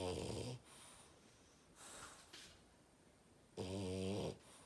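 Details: French bulldog snoring loudly indoors: a harsh, buzzy snore with stacked harmonics opens the recording, then quieter breathing, and a second rasping snore about three seconds later lasting nearly a second.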